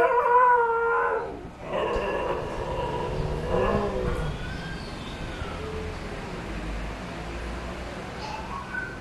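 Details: Huskies howling at the 'Old Newspaper' van siren: a loud, overlapping howl opens, then trails into quieter, broken wails and faint rising notes against a noisy background.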